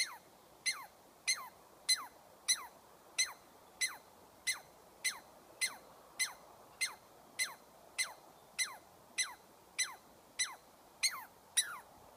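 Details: A squirrel chatters in a steady series of piercing notes that each drop sharply in pitch, repeated at a brisk, fairly even pace of almost two per second, with little else audible.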